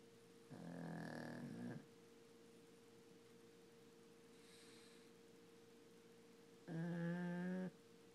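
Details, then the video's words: Frankie the pug snoring away like a human: two long, rumbling, low snores roughly five seconds apart, each lasting about a second, with a steady electrical hum running underneath and quiet breathing between. "Frankie the pug snoring"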